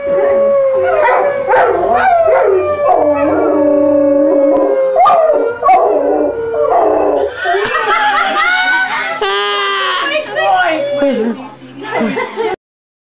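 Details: First-ever howling from a pet Golden Retriever: wavering, overlapping howls and yips that rise and fall unevenly, becoming busier and higher midway, with percussive taps and a possible human voice mixed in before the sound cuts off.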